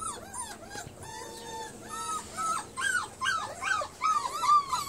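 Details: Bernese Mountain Dog x Great Pyrenees puppies eating alongside a kitten. They give a rapid series of high, arched whimpers and squeals, each one rising then falling. The squeals overlap and grow louder and more frequent toward the end.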